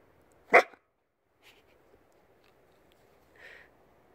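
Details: Male Akita dog, kept as a pet, gives a single sharp loud bark indoors, followed by a faint softer yelp about three seconds later in a quiet room.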